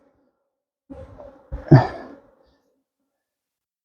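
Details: A soft human sigh or breath is followed by a short exhaled vocal sound. The room is otherwise quiet, with no animal sounds.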